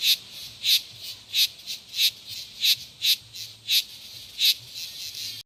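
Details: Steady cicada chorus of loud, raspy pulses, roughly two per second, alternating stronger and weaker bursts over a continuous high-pitched hiss, ending abruptly.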